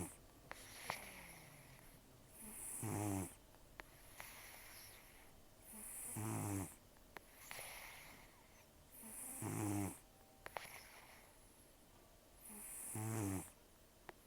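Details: Heavy nasal snoring from Taro, an elderly rescue cat with few teeth after a long outdoor life, asleep in a quiet room; five raspy, wavering snores at steady intervals of about three seconds, with faint clicks.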